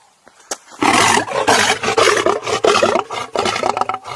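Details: Aggressive, hungry lions give loud, rough growling roars in rapid bursts, several pulses a second over about three and a half seconds, after a short quiet start.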